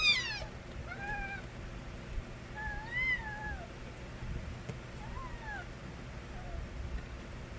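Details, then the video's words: Stray kittens of a cat named Nabi crying loudly when young: thin rising-and-falling mews with bright harmonics, about four calls spaced a second or two apart over a steady background hiss. "새끼고양이들의 우렁찬 울음소리"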